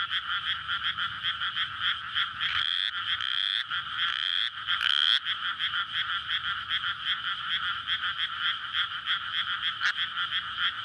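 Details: Courting frogs fill a flooded rice paddy with their night chorus in May, before rice planting; continuous pulsing croaks, interrupted midway by a few short rising whistled squeaks, likely from passing traffic or people by the adjacent road.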